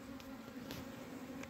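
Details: Honey bees at a diseased beehive in Humla, Nepal, where bees died from disease: a faint, steady low hum with a second fainter tone above it, holding evenly through the clip, with soft clicks in the background.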